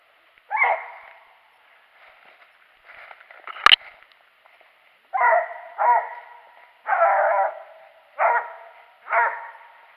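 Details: Barking from Daisy during a squirrel hunt on January 21, 2018: an opening bark, a quiet stretch broken by a sharp knock, then five strong barks spaced about a second apart.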